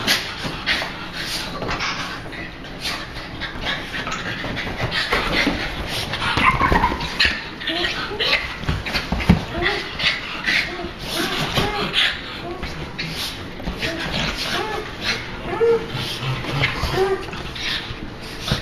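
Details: Three Australian Silky Terriers playing together on a lounge on a cold day in Sydney; soft whimpers, growly huffs and panting over constant scuffling and rustling, with a person talking at intervals.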